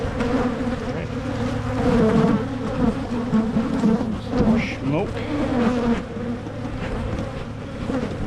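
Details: Colony buzz from honey bees as a beekeeper in Michigan splits hives to discourage swarming; a constant droning hum with passing individual bees whining by, one rising and falling pass near five seconds, plus faint handling noises.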